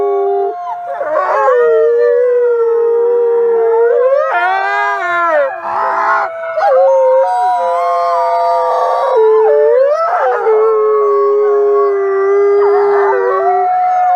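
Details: A loud wolf chorus: sustained howls that dip and rise, broken by bursts of higher, quavering yips and short barking notes. Voices sweep up sharply and then settle into long held tones.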